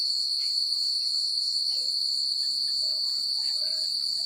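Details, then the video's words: Night-time crickets in a quiet country setting give an unbroken, piercing high trill with rapid pulsing, and scattered faint whistled notes and soft chirps rise briefly in the background. "The Sound of Crickets at Night"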